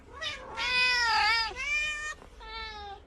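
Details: Domestic cat giving three drawn-out meows, the middle one longest and loudest with a wavering pitch, the last softer and shorter, over a low steady hum.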